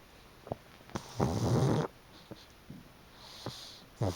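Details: Pug napping in the afternoon on a freshly sun-dried futon, snoring loudly: one long rough rasping snore of under a second, with softer snuffling breaths before and after.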